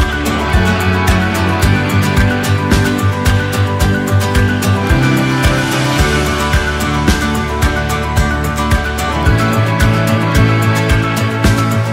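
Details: Busy background music with a pulsing bass line and guitar fills continuously, with no animal voices.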